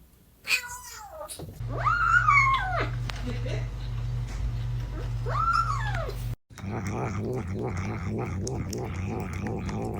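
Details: A cat making noises while it eats. There are two drawn-out, arching, meow-like cries over a low steady hum, followed by a rhythmic, patterned sound to the end.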